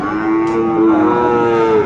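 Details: Sahiwal bull calf at Aftabganj cattle market, Dinajpur district, Bangladesh, on a Tuesday market day: a steady, drawn-out harmonic moo holding an even pitch for nearly two seconds, with market hubbub underneath.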